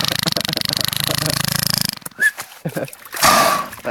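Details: A beluga whale described as one that can't sing properly and is still learning gives a rapid, creaky pulsed buzz, then brief squeaky whistles, prompted by a person.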